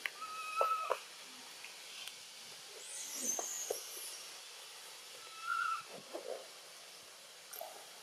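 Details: Young macaque Button crying after being bitten by Cara in Siem Reap, Cambodia: short, high, tonal squeals near the start and again midway, between scattered clicks and rustling and a faint high whine.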